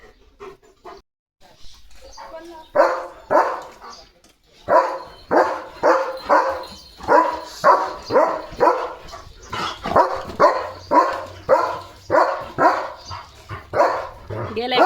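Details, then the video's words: German Shepherd dog at home barking to announce that rain is coming. Loud, hoarse barks repeat steadily about every half second to second for over ten seconds, after a brief quieter stretch with a person's voice at the start. "बघा Leo The German Shepherd कसा सांगतोय – पाऊस आलाय!"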